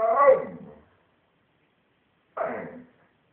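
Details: Shamsa, a female dog shown 'talking', gives two short, loud, throaty moan-like vocal bursts separated by about a second and a half of silence.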